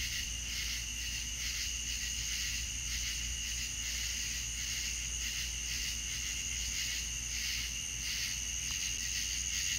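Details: Many crickets calling together on a Deep South night, shrill high trills rising and falling in rhythmic pulses, with a thin constant whine and a low droning hum underneath.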